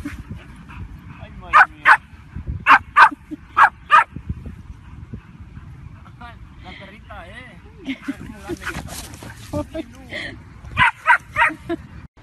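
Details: Pet bulldog giving bursts of short, snappy barks in clusters of two or three, a quieter stretch with human voices talking, then another rapid string of barks near the end.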